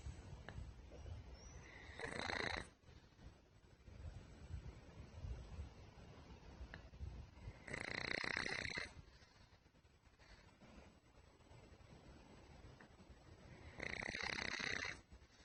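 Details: Sleeping pet pug snoring; the dog has a chest tumor and was earlier diagnosed with pulmonary edema. Three loud, rough, breathy snore bursts, each close to a second long, come about every six seconds, with quieter breathing between.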